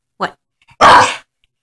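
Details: A female Staffordshire Bull Terrier, about three years old, gives a short yelp followed by one loud, harsh bark lasting under half a second as a person talks nearby; she habitually howls and barks.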